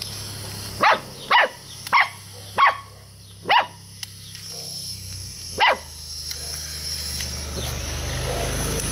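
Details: Puppies at play with a frog toy give six or seven short sharp barks about half a second apart, then a pause and one more, over a constant background hum.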